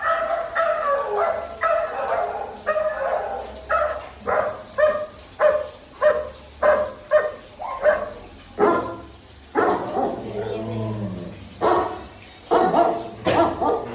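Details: Dhoni, a pet Labrador Retriever, barks in a long run of short, sharp woofs about twice a second, with a brief whining, strained-sounding phrase midway before the barking resumes.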